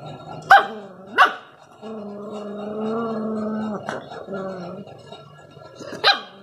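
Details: Rottweiler puppy in an aggressive display: two quick sharp barks, then a long rumbling harmonic growl lasting about two seconds, a shorter growl, and a final bark.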